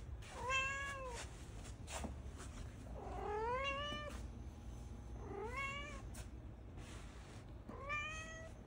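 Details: Indoor cat meowing: four clear, drawn-out meows, the first arched and short, the second long and rising, the last two rising then levelling, separated by quiet pauses with faint room noise and small clicks.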